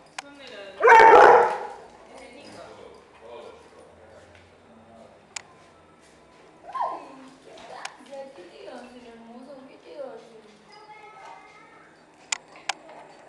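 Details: Brisa, a dog, barking at her new friend, a pit bull puppy she first rejected before warming to him; a single loud, harsh bark bursts out near the start, followed by soft human speech with scattered clicks and knocks.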